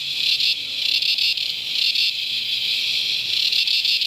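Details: Cicada chorus from Never Never Creek, Promised Land NSW, or Mt Tamborine Qld, Australia, in natural surroundings: a dense, high buzzing screech that pulses slightly in loudness, several swells per second, with no other sounds.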